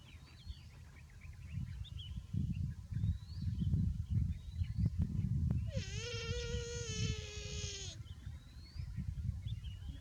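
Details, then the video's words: A buffalo calf that is too hot gives a single sustained, harmonically rich bleat lasting about two seconds, midway through steady low outdoor rumble, with faint thin bird chirps scattered in the background. "BUFFALO Baby Too Hot and Makes a Good Sound"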